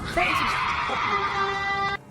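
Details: A cougar mating call, according to the uploader, heard in the woods: a long, shrill, wavering scream that sounds eerily like a woman shrieking, with a moaning, horn-like sound.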